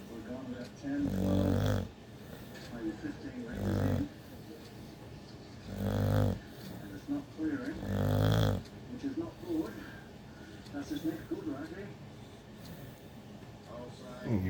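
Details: Pet dog snoring so loudly it wakes itself up: four deep, rasping snores roughly every two seconds during the first nine seconds, then a man talking to the dog with fainter breathing sounds.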